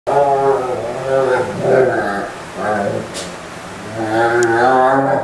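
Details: Male German Shepherd moaning while being towel dried, recorded 17 November 2012: drawn-out, wavering harmonic moans in several long swells with brief pauses, rising and falling in pitch, a faint click midway.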